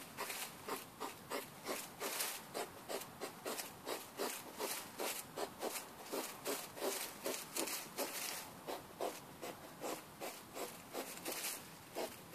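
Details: Hedgehog out with its partner on a midnight walk behind a house, recorded late at night on a mobile phone; rapid breathy, rasping grunts repeat about two to three times per second in a steady run, with no other clear sounds.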